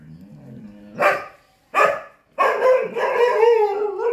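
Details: Chippiparai dog in a fight with monkeys, barking hard: two abrupt barks about a second apart, then a sustained, rough, wavering snarl-bark run to the end, preceded by a low harmonic growl.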